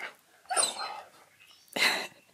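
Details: Keyush, a male Siberian Husky, answers indoors when asked on his birthday to go for a walk: two short, rough, breathy vocal bursts roughly a second apart, each rising and falling, with quiet room tone between.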